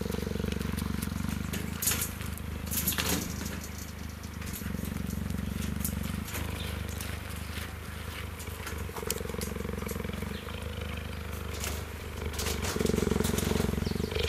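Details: A young male cheetah, who rarely purrs, leans against a fence while meerkats groom him and gives a continuous low, throaty purr that shifts with each breath in and out; crackling and a little human speech.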